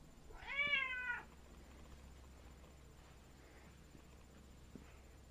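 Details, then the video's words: Cat left without food after an automatic feeder malfunctioned, giving a single drawn-out meow that rises then falls over about a second, followed by near silence with faint indoor noises. "Cat is depressed | Pet Food Automatic Feeder No food comes out Fail"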